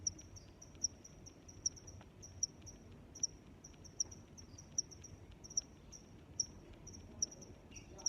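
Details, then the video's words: Crickets chirping: short, high, bright chirps on a steady pitch, repeated about every 0.8 seconds at an even pace, over a soft low rumble of background noise. "Sounds of Crickets"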